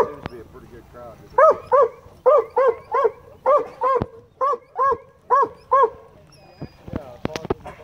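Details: High-pitched barking from a rescued black and tan coonhound at a county dog park, directed at fish it dives after. About a dozen clear, ringing yelps in quick succession, then a few splashy knocks at the end.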